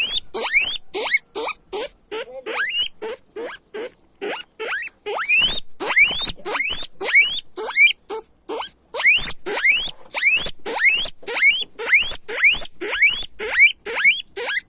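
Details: Guinea pigs squealing loudly: a long run of sharp rising whistles sweeping upward, repeated nearly twice a second with brief gaps, each note bright and piercing, continuing steadily throughout.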